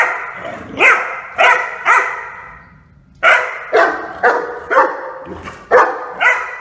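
A Rhodesian Ridgeback puppy barks in sharp, rising yelps, roughly two each second, with brief pauses.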